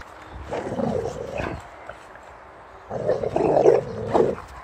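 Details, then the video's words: Boxer dog playing with a bucket, chasing it with a ball held in its mouth; two bursts of muffled growling, the first about one second long and the second stronger and nearly two seconds long. "Bucket vs Boxer Dog"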